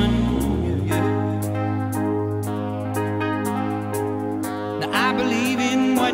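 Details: Steady instrumental music with a sung melody and regular beat plays throughout, with no animal voice audible.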